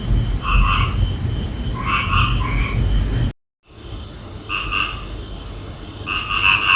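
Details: Frogs at night croaking in grouped bursts of two or three throaty, nasal notes, a pause between groups, over a constant low rumble and a thin high insect whine; a brief dropout falls mid-clip.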